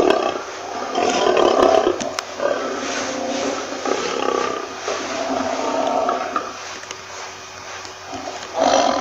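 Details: Softer, more uneven lion roaring: rough, rumbling growl-like phrases rising and falling, ending with a sudden louder burst.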